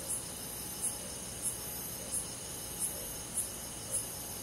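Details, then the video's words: On a summer night in the forest, a cricket gives short high chirps spaced a little over half a second apart, set against a constant thin ringing of other countryside insects. "잠이 잘오는 여름밤 잔잔한 풀벌레소리"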